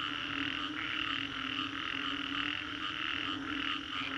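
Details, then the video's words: Post-storm frog chorus in Singapore's Green Corridor: countless callers blend into a continuous buzzing, pulsing wash of croaks, with brief swells every second or so and a constant low hum beneath. "Frogs after Storm"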